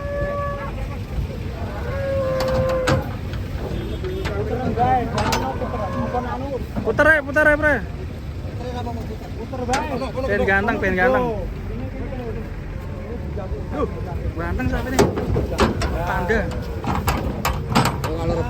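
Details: Cattle being unloaded from a truck, with repeated wavering moos rising and falling, several overlapping calls through the recording, over a rumble of engine and background noise.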